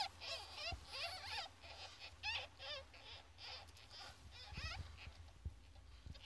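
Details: Young ferret kits at 14 days old squeal repeatedly in short wavering bursts, several close together, with occasional low thumps and handling bumps among the calls.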